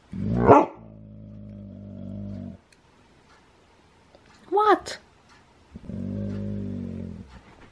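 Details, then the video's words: Domi the husky, who begins howling sessions with a growl before barking, gives a sliding yelp into a sustained droning growl, then a sharp bark. Another drawn-out growl follows in a quiet indoor room. "How Domi gets the huskies to howl"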